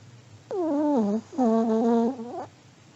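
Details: Sleeping old Pomeranian snoring indoors: two whiny, humming snores about a second each, the first sagging in pitch, the second longer and nearly level, with a brief hush between them.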